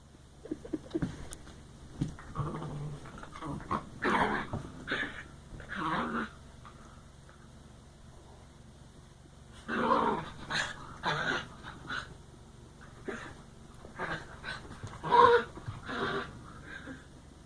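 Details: Dogs at play making odd wookie-like noises: bursts of throaty, rasping growls and grumbles, some with a warbling tone, coming in clusters separated by quiet pauses.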